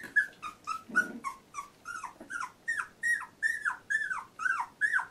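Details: Labrador Retriever puppy, 14 days old, from litter J, whimpering indoors: a steady series of short, high, downward-bending squeals repeated about three times a second, with a brief low grunt near the start.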